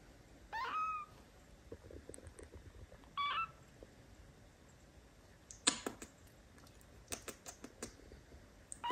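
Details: Golden kitten Larry, a very gentle baby cat, held in hands: two short high mewing calls early on, a faint third at the end, with rustling and tapping handling noises between them.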